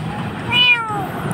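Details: Street kitten in Jakarta, crying and frightened in a dark place, gives a single high meow that rises and then slides down, over a low hum of traffic.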